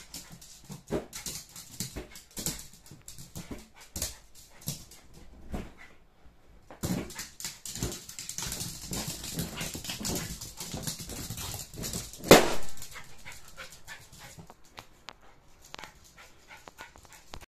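A Jack Russell terrier pants and whimpers in short bursts amid rubbery balloon squeaks and rustling.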